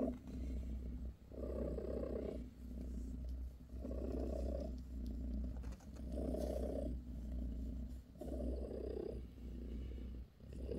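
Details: Bassy, a British shorthair mother cat, purrs while massaging her kittens; a steady low rumbling purr swelling and fading in long breaths, about five louder surges over eleven seconds, with faint rustling.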